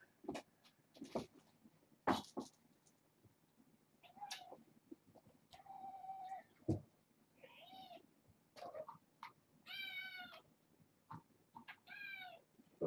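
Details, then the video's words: Kittens at bedtime, a litter of six born August 29th, one male climbing on a cage indoors; repeated kitten meows, a steady low whine midway, then brighter high harmonic cries toward the end amid thumps. "Babylon 5 Kittens - Bedtime"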